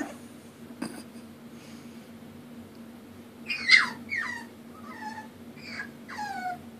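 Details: Female puppy indoors crying because she needs help climbing the stairs: a series of five or six short, high, thin whines, each sliding downward in pitch, coming in quick succession over about three seconds after a quiet start, with a faint steady hum behind.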